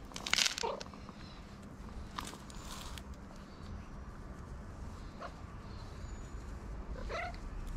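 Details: A tabby cat, apparently a stray, gives a couple of brief, wavering meows asking for attention after eating food.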